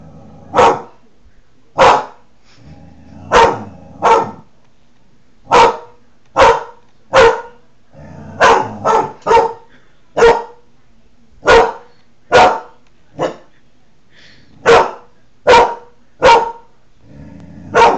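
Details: Deep, booming barks from Klondike, a protective Newfoundland, sounding off at his reflection in the window in July 2009 to guard his territory; about twenty single woofs in steady succession, some paired closely, with quiet room noise behind.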